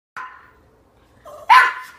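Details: Pet dog barking at its owner for attention indoors: a short yelp, a pause, a brief whine-like note, then a loud sharp bark.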